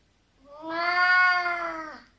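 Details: Oriental cat indoors, unhappy and demanding to be let out onto a cold balcony: one long, loud, drawn-out complaining meow with a rich harmonic tone, holding steady then falling slightly at the end, about 1.5 seconds.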